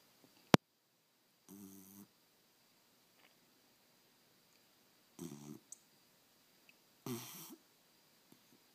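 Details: Deeply asleep 13-inch beagle named Bucky snoring in human-like fashion: three separate rasping, low-pitched snores, each about half a second, spaced several seconds apart in a quiet room, with a sharp click early on.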